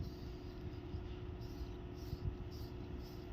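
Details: Steady low rumble, like a passing train or vehicle, with faint muffled knocks.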